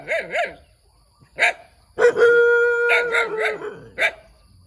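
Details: Puppy giving a few sharp, high barks, then a long, steady, drawn-out whining note lasting over a second, followed by more scattered yaps.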